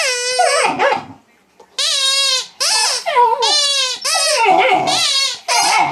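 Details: Young female mastiff squeaks back at her toy: a series of long, high, nasal whines, each about half a second to a second, separated by short pauses, with a quiet gap early on.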